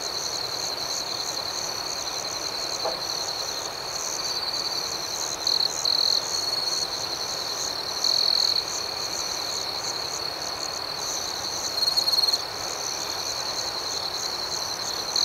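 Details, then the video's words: Nocturnal cricket chorus, an unbroken high ringing buzz made of quick pulses. Several nearer crickets add short, louder trilled bursts every few seconds. "Soothing Cricket Sounds"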